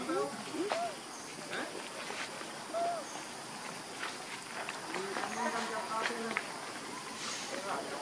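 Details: A hungry baby monkey calls for its absent mother with brief, curved whimpering cries, some doubled, scattered through the recording over steady outdoor background noise.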